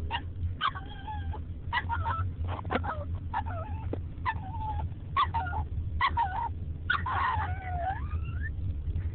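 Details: Casper the dog, riding in a car and angry whenever it slows down, howls and yawns at once, recorded on a phone: short wavering harmonic yowls break into bursts, ending in a long rising-falling howl over a steady low engine rumble.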